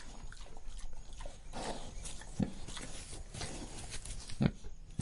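A pig breathes heavily in low, rough snorting huffs, with soft grunts between breaths.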